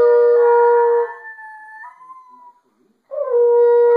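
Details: A Basenji named Hali howls along with a baritone horn, seeming to especially like the high B flat, its wavering higher voice slipping between long, steady low notes.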